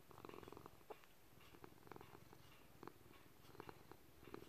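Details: Older gray-blue male rescue cat purring while kneading indoors, a soft, steady, low vibrating drone beneath irregular light clicks and taps. Ticking clocks and distant traffic are faintly present.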